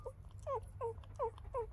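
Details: Newborn puppies about three days old, all female, trying to feed from their mother; a run of five short, high, downward-sliding whimpers about every third of a second, over a low steady hum.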